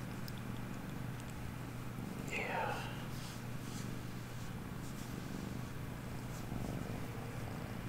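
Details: Domestic cat purring while seeking affection, settling in to get comfy indoors; steady low rumbling purr throughout, with a soft rising-falling squeak near the middle and a quiet voice talking to it.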